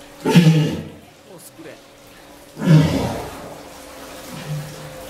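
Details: Captive walrus at an aquarium in Ise, waiting before feeding and begging staff for the water hose it likes to suck. Two loud, low, rough grunting bursts about two seconds apart, with a fainter low moan near the end.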